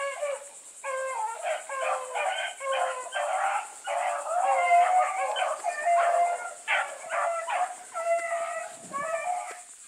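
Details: Hound pack of Blueticks with a white female, Sassy, running hard. Long stretches of layered, drawn-out baying from several dogs, voices overlapping continuously, over a persistent shrill insect chorus.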